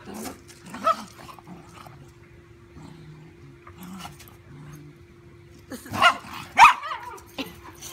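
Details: A dachshund roughhouses with a big golden retriever puppy. One early bark gives way to quiet, low grumbling growls in the middle, then a burst of two or three sharp, loud barks near the end.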